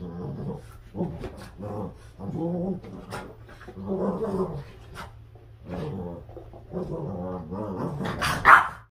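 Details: Boston Terriers playing a fierce tug of war, giving rumbling, throaty growls in irregular bursts with short gaps, ending in a sharp, higher yelp-like cry.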